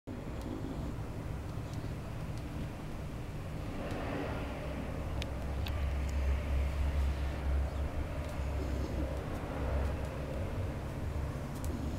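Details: Outdoor urban noise of passing vehicles and a low engine drone, with a few faint clicks and no animal voice.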